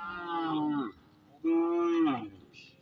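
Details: A herd of village cattle returns home past the fields. Two long, steady, nasal moos of about a second each are separated by a short pause. Each holds an even pitch, then drops at the end.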